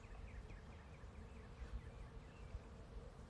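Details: A soft, steady hum of many bees buzzing together as they pollinate a blossoming apple tree in a front yard, with faint bird chirps above.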